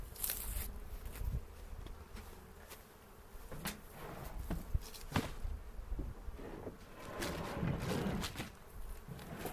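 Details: Honey bees in a kept hive during an April 27 inspection in the 2018 season, in foothills near Cochrane, while hobby beekeepers search for queen cells and make a split; a low, steady droning hum beneath frequent sharp knocks and clicks of handling.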